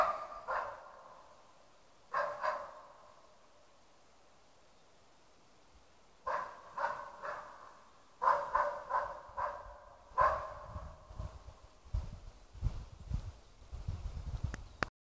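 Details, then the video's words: A West Siberian Laika holds a moose cow with her calf at bay, barking with sharp, ringing barks in irregular bursts. "Ståndskall på älg"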